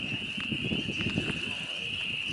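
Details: A dense chorus of frogs mating in a farm pond on an evening of April 25, 2022, with tadpoles present, makes a steady, high, continuous trill while a person talks nearby.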